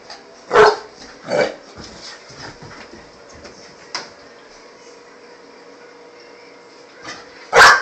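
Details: Five-month-old Pit Bull puppy barking indoors: two short, sharp barks close together near the start, a few faint sounds, then one loud bark at the very end.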